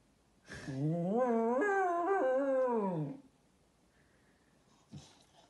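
An English Cocker Spaniel gives one long, low, wavering howl that sounds rather like a cow's moo.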